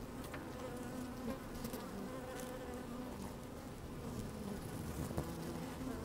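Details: A dense, even drone of honey bees at work in an opened hive on a sunny day, punctuated by quick rising buzzes of single bees and light scratchy movement sounds close to the microphone.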